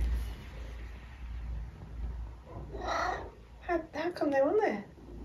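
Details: Eric, a household cat, around food time: after a quiet start, a short burst of sound, then a quick run of wavering, harmonic meows that rise and dip near the end, over a low hum.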